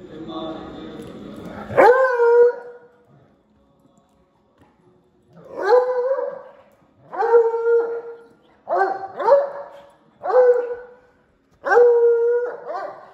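A Bluetick Coonhound gives a series of deep, drawn-out baying howls with a falling, mournful tone.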